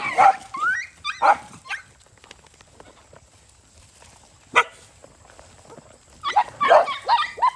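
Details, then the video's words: Stray dogs at a farm in Cambodia fighting while eating rice near a road; several short harsh yelping barks with rising whines, a burst at the start, one sharp yelp midway, then a cluster of snarling barks near the end. "Dogs fight when eat rice near road"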